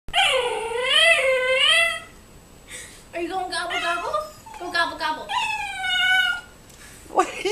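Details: Twelve-week-old Siberian husky puppy indoors, reacting to a turkey seen outside with drawn-out, wavering howl-like whines that rise and fall, three long vocal bursts separated by short pauses.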